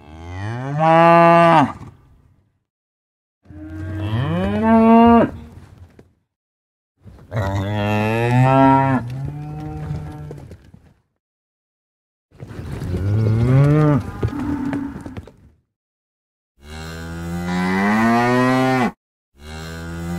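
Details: Repeated cow moos, six deep, rough-edged bellows roughly every three seconds, some rising then falling in pitch, with brief gaps between.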